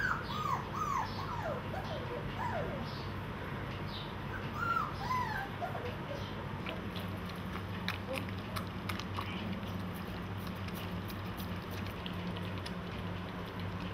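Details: Golden Retriever puppies competing for food from a single bowl, squealing before they get it. High arching whimpers and squeals come in quick bursts over the first five seconds, then give way to chewing, lapping and a steady low hum.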